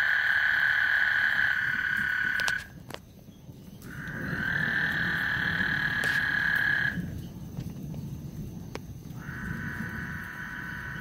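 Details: Frogs chorusing on Lake Houston before a thunderstorm: dense, steady trilling bands that run for a few seconds, break off abruptly, then resume, with a low rumbling background and occasional sharp clicks.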